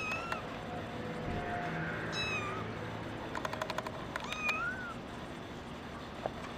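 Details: Brown tabby and white female kitten born on 28 December 2010 mewing three times in high, slightly bending cries, with a quick run of sharp ticking clicks between them and a low hum behind.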